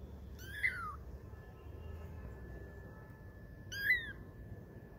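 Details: Twenty-day-old kittens playing and learning to walk give two thin, high meows about three seconds apart, each sliding downward in pitch, over a soft steady hum.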